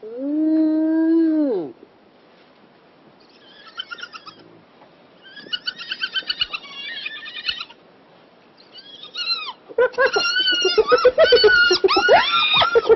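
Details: Spotted hyena in Kruger National Park, South Africa, gives a long rising-then-falling whoop, followed by rapid, chattering giggles and yelps; among about 25 seen, including a mother with two young pups and a teenager.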